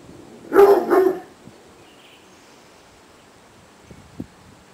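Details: Otterhound, one of two, Hope and little Biggles, playing together in a garden: two quick, loud, deep barks in close succession, then near quiet with a couple of faint knocks.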